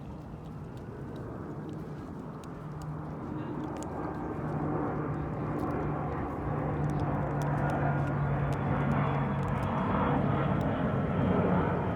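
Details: Steady low drone of an engine, like a passing vehicle or aircraft, rises slowly over outdoor ambience with faint ticking clicks.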